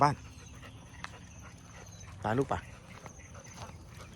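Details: Territorial local dogs bark loudly at a pit bull being walked through their area. There is one loud double bark in the middle, faint yelps around it, and a steady background hum.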